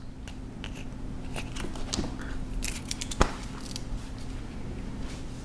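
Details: Crunching and clicking of treats being chewed indoors over a steady hum, with no meow or other call.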